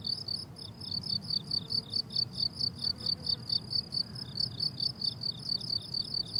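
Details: Crickets on a blooming summer meadow chirp in rapid, high-pitched pulses, repeating steadily over a soft low rumble.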